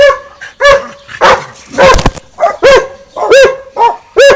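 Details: Winston and Popeye, two dogs, barking at each other across a garden fence; sharp arched barks roughly every half second, mixed with a few rougher, noisier yelps in the middle.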